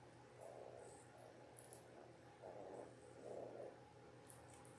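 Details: Ten-day-old Labrador Retriever puppies from a litter of six born January 18, 2022, indoors: soft, mid-pitched whimpers come in four short nasal bursts over a steady low electrical hum.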